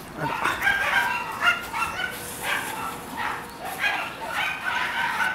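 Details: Red female Shiba Inu puppy giving thin, high whimpers and yips in quick irregular succession, rising and falling, with brief breathy noise between cries.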